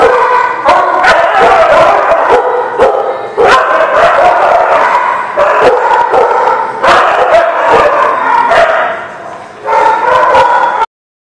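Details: Dogs barking on 15 February 2020 at a dog lot: loud, dense, overlapping barks and yips fire in irregular bursts throughout, with a short quieter dip near the end before an abrupt stop.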